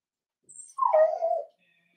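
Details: Cavalier King Charles Spaniel puppy, four weeks old, in an indoor pen; one short whimper rises then slides down in pitch, lasting under a second, with a faint high tone behind it.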